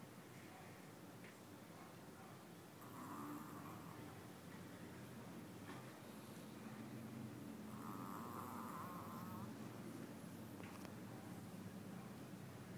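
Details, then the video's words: Small dog sleeping and snoring loudly; two drawn-out rasping breaths about five seconds apart, each with a buzzy midrange band, over a steady low rumble of breathing. "Little dog with a loud snore"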